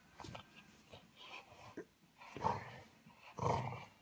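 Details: Male French Bulldog playing with a toy and getting hit in the face by it at the end; short rough growly bursts with soft grunting in between, ending in two louder, harsher growls about a second apart.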